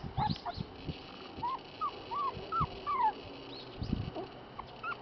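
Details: Black Shiba Inu female puppy giving short, high whimpering yelps, each a quick rising-then-falling whine, repeated roughly every half second amid soft thumps and handling noise.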